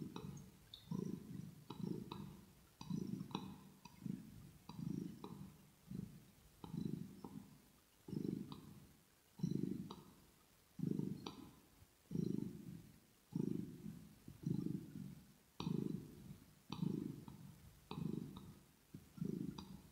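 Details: Close-miked pet kitten purring steadily for relaxation, ear to ear: deep throbbing rumbles in a breathing rhythm of roughly seventeen bursts in twenty seconds, with soft clicking mouth sounds over the top.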